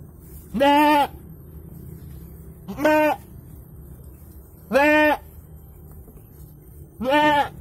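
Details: Goat giving birth to two kids, bleating steadily: four strong, evenly spaced harmonic bleats, each about half a second long and slightly arched in pitch, repeated roughly every two seconds over a low background hum.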